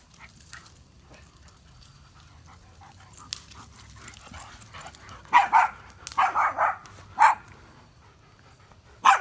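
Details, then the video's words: Dogs playing at a backyard campfire, a German Shepherd, a Boxer and a Chorkie; quiet rustling at first, then a burst of five or six sharp barks near the end, with a final bark cut off. "Rowdy Dogs and a Roaring Campfire"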